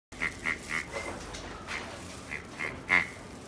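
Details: Male long-coated Chihuahua, white and cream, born 24 October 2017, giving short high squeaky whimpers: a quick run of three, then a pause and a few scattered squeaks ending in a louder, fuller cry.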